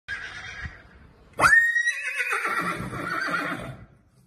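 A Marwari horse gives a loud, ringing whinny that rises sharply, then quavers and fades.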